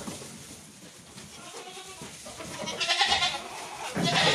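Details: Billy goats, thirty males in a group, give a couple of harsh, noisy bleats late in the recording, one near the third second and another at the end, over steady rustling background.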